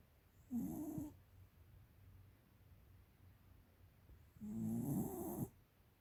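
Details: Thirteen-year-old American Cocker Spaniel bitch named Tiara snoring heavily: two long, gravelly, rattling snores about four seconds apart, each roughly a second long with a hissing breathy top, quiet breathing between.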